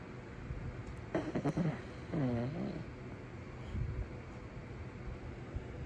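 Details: Saran, a Pekingese-Shih Tzu mix dog, sleeping comfortably and snoring loudly: two rasping, rattling breaths, the second a longer wavering snore, then a softer exhale against quiet room hiss.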